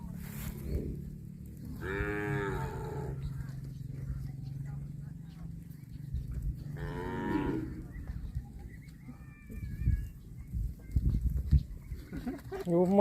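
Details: Cattle mooing: two drawn-out, harmonic-rich moos about five seconds apart, with a low steady hum underneath and rustling, knocking noises toward the end.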